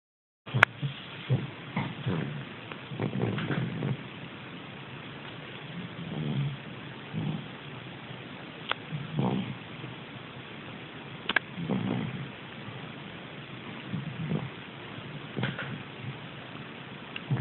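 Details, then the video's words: Dog snoring while dreaming: low, rough rumbling breaths come in bursts every second or two, with a few faint clicks and a quieter stretch between some snores. "Snoring dog dreaming"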